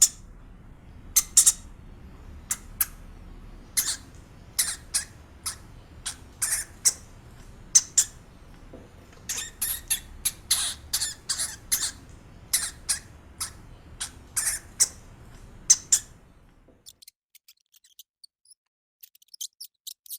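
A hamster gives sharp, high squeaks in quick irregular bursts, then falls silent.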